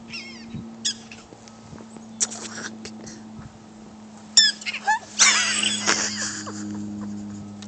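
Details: Zoo prairie dogs squealing, several of them, in short high rising-and-falling squeaks and chirpy bursts, some overlapping, above a steady low hum.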